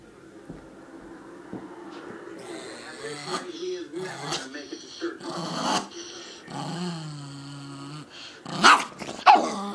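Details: A female Chihuahua, described as mean and grumpy, getting angry at her owner indoors: low rumbling growls rising into snarling and a couple of sharp barks, with a person talking over it.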